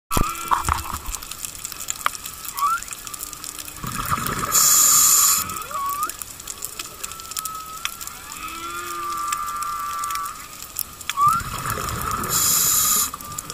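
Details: Whale song heard underwater on the reef at Makena Landing, Maui, among goatfish and bigeye scads: drawn-out tonal moans and quick upswept whoops, broken by bursts of bubbling water.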